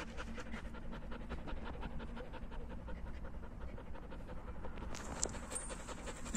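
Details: Outdoors in nature, a German Shepherd playing with its owner breathes in fast, even pants, a steady train of soft airy puffs over deep background rumble, with a brief sharper sound near the end.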